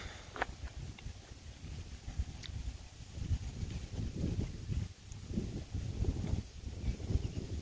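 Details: Percheron gelding under a rider, its footfalls heard as soft, dull thuds in a loose, uneven rhythm, half-buried beneath a constant low rumble of wind on the microphone, with a few faint sharp clicks.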